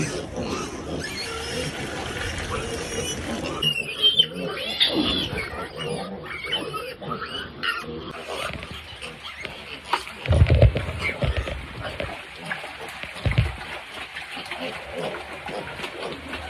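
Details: Adult sow in a backyard piggery, heard while being cleaned and fed; short low grunting bursts near ten and thirteen seconds rise over a continuous broadband hiss and clatter.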